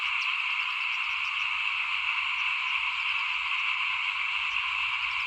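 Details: Dense frog chorus in front of a house while rice is being sown for planting in 2021: unbroken, shimmering trills stacked at mid and high pitches, with only faint low background noise.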